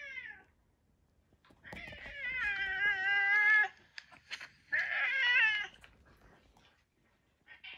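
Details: Drawn-out, quavering yowl of about two seconds from a retired boss cat in end-of-life home care, with a shorter rising cry a second later; the tones wobble steadily, and there are faint clicks between.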